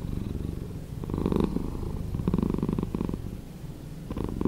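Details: Domestic cat purring, played back slowed down: a low, grainy rumble pulsing rapidly, swelling into brighter bursts around the first and third seconds and again near the end, with softer quiet stretches between breaths.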